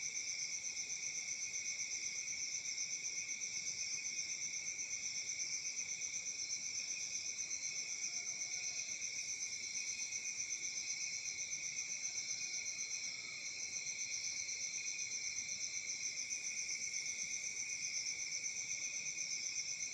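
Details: A dense chorus of crickets on a summer night in Africa chirps steadily in high, pulsing layered bands without pause, with faint softer trills from other insects underneath.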